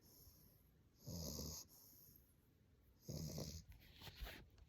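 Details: An English Bulldog puppy asleep, snoring with two deep, rasping inhalations about two seconds apart, low and rumbling, with a faint snuffle at the end.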